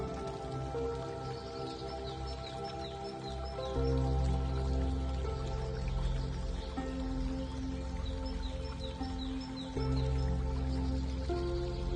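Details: Calm, sustained instrumental music with soft drip-like sounds, and no clear animal voice.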